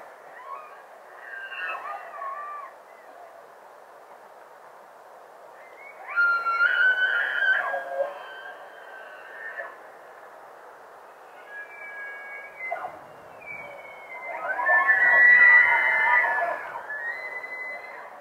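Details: A bull elk in velvet bugles at dawn in Jackson Hole, Grand Teton Park, walking by the camera, with long, high, whistling notes that slide and waver over a rougher undertone.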